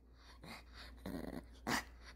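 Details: A hungry Maltese dog indoors, sitting close while laundry is folded, makes short grumbling, growl-like vocal bursts that sound almost like talking: three rough outbursts within about two seconds, the last one loudest.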